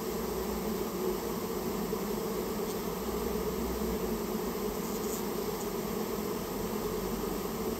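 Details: Dense, steady hum of a Japanese honey bee colony that nested inside a storehouse and was being removed at the owner's request; continuous drone with bands around mid-low pitch, unbroken for the whole stretch.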